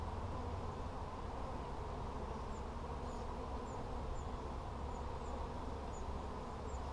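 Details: Bees at a hive inspection on 17 July 2020 give a steady, low droning hum that holds without a break, while faint bird chirps come through high above.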